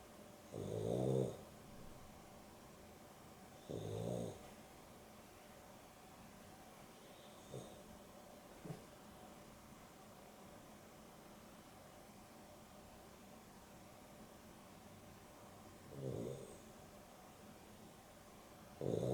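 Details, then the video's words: Snoring from Dexter as he naps in the afternoon with Rio, a Boston Terrier and a Beagle cross: deep, buzzy inhaled snores at first every three seconds, then a long quiet gap before two more snores near the end. "Boston Terrier and Beagle X (Dexter and Rio) snoring"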